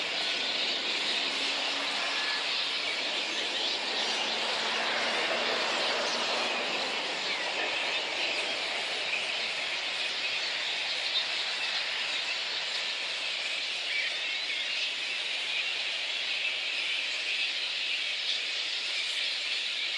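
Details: Little red flying foxes roosting at Boonah, Queensland, Australia, on 19 February 2014, before a dispersal by council and contractors. A dense, continuous chorus of high, shrill squeals and chatter fills the clip without a break.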